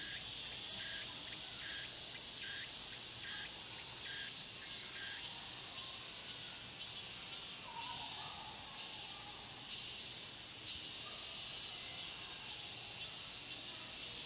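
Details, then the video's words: Cicadas in the Mokgye pine grove, Cheongsong, South Korea, fill the air with a dense, steady, high-pitched shrilling chorus. "자연의 소리 '청송 목계솔밭 매미소리' cicada sound"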